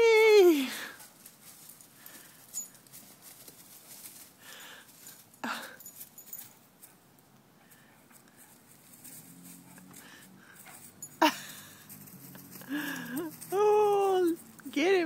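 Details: Two Vizsla puppies, Rudi at 7 months and Kyburz at 10.5 months, playing together indoors: a high whine slides steeply downward at the start, scuffling and a sharp thump follow, then arched, wavering whimpers rise and fall near the end.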